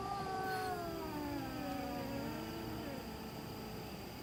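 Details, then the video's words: Domestic cat calling in the middle of the night, a single long, sliding yowl that starts higher and sinks lower over about three seconds, with a constant electrical-sounding hum behind it. "Cat Making Spooky Noises Middle Of Night"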